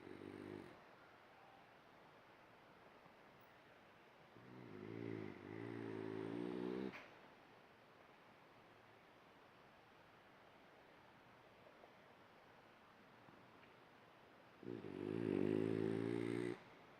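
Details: A dreaming French Bulldog snores in long, rumbling, buzzy breaths separated by quiet pauses.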